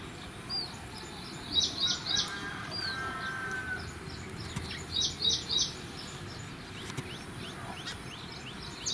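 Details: Indian palm squirrel eating pomegranate, with high, sharp chirps in quick bursts of three or four notes, bursts repeating every second or two over a steady low outdoor hum.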